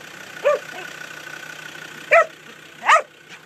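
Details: A Huntaway working cattle through a gateway gives three sharp, separate barks, about one to two seconds apart, over a steady low engine hum and a faint background tone.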